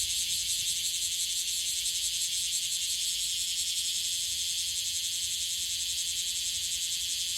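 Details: Bear cicada, Cryptotympana facialis, in Okinawa, Japan, calling at short intervals: a dense, loud, high-pitched buzzing pulsed rapidly, nearly three pulses a second, filling the whole stretch without pause.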